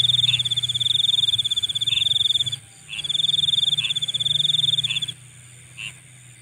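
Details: Insects at night giving sharp, rapid pulsed trills in long bursts with short pauses, fading near the end. Brief lower chirps repeat about once a second, and a low humming drone continues throughout.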